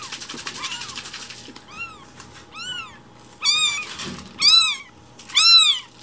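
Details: Hungry rescued baby kittens call loudly for breakfast milk in the morning, giving a short series of rising-then-falling squeaky meows, each louder than the last, spaced about a second apart over low background rustling.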